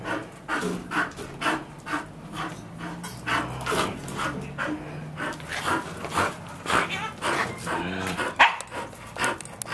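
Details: Playing Bull Terrier gnawing a solid bicycle tyre bound in nylon thread; steady rhythmic panting bursts about twice a second, with growly chewing and a sharp knock near the end.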